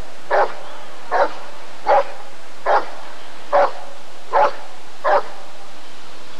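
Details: Rottweiler barking at the ADRK breed survey of 1994: seven strong, evenly spaced barks, one about every 0.8 seconds, with steady low background noise.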